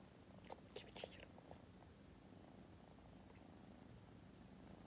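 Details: A sleepy female tortoiseshell kitten, a rescue born August 2020, purrs in a low, steady, continuous rumble, with a few soft clicks early on.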